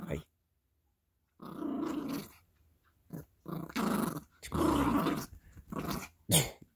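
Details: Gracie, a female Yorkie puppy, growls indoors while playing with her squeaky elephant toy: low, rough, noisy growl bursts of a second or so, separated by pauses, with a person's voice mixed in.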